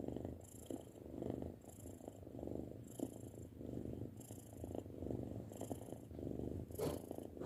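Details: Six-month-old pet cat purring, a continuous low rumbling with gentle rhythmic swells roughly every second as it breathes in and out.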